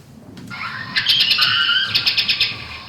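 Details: Mexican free-tailed bat echolocation played back through a bat detector, used to catch insect prey; rapid pulses blur into dense chirping bands and a near-continuous high buzz, with sharp clicks repeating toward the end.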